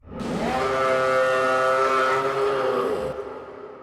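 A single long cow moo, starting with a low rising scoop, then holding a steady, strongly harmonic tone for nearly three seconds before fading.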